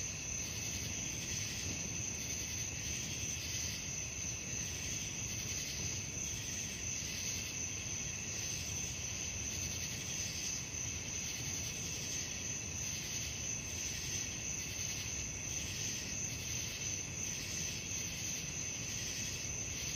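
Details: Crickets calling at night, a continuous thin, very high ringing trill overlaid by a throbbing, scratchy pulse in repeated bursts, while a dull low-pitched background rumble runs throughout.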